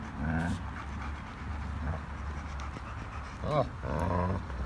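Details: German Shepherd growling at a large Pitbull during play between two dogs that are best friends; a deep, steady rumbling growl runs underneath with brief breaks, and human talk overlaps it.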